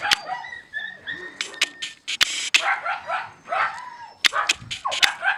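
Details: Siberian Husky puppies while eating, with short broken whimpers and squeaky arched yelps scattered between loud clicks and chewing noises.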